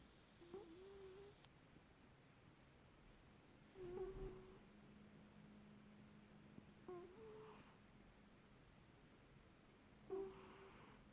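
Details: Pet cat Lulu snoring in Perth, Western Australia, with a squeaky snore: thin whistled tones sound about every three seconds with soft breaths between, in a quiet room with a faint low hum.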